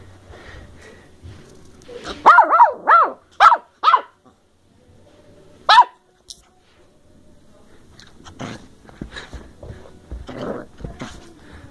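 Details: Playful Bedlington Terrier pup Molly, a 10-week-old female of working strain from South Wales, December 2013, fires off a quick run of four or five high, bouncy yaps, then one more after a pause, followed by a person's teasing voice and shuffling.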